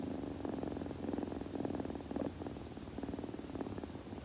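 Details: Softer, closer kitten purr, possibly during grooming: low throbbing pulses in short bursts about twice a second, gently rising and falling in loudness with quiet pauses between.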